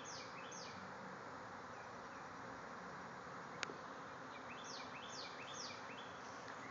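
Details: Constant heavy humming from thousands of bees swarming out of a hive in a backyard; brief clusters of sharp, falling bird chirps come at the start and again near the end, and one click sounds midway.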